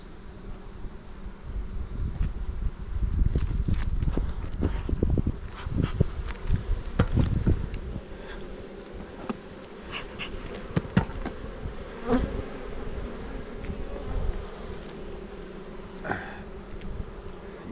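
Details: {'caption': 'Honey bees kept by a beekeeper in the Jirisan mountains, Korea, at hives where much comb is being built; a low, steady droning hum with scattered clicks and handling knocks, loudest in the first half.'}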